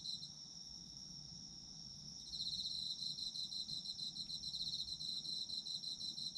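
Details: Autumn insects singing at night for sleep ASMR: a steady high ringing drone joined after two seconds by rapid pulsed trilling chirps, layered high-pitched and continuous, with faint low background hum.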